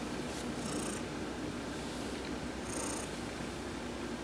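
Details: Heidi, an adopted pet cat, purring while being massaged during a sun bath on November 19, 2020: a steady, low, rumbling purr throughout, with two brief high-pitched tonal bursts above it.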